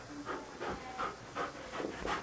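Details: Sidney, a Standard Poodle, is afraid to go into the bedroom to fetch his beloved ball. His quick, breathy panting comes in short bursts about three times a second, with a person's voice urging him to get it.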